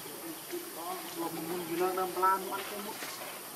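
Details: Baby monkey named Leo, missing its mother, gives wavering, whimpering harmonic cries in a run of short, closely spaced notes that rise and fall, growing louder toward the middle, over a soft hiss.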